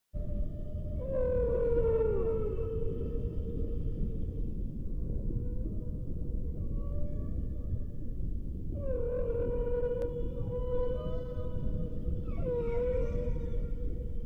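Whale song: long, moaning tonal calls that bend and waver, over a deep rumbling background.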